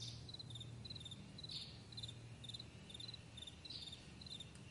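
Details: Meadow crickets at morning giving high pulsed chirps roughly twice a second, interrupted by occasional louder scratchy notes, over a faint low droning hum.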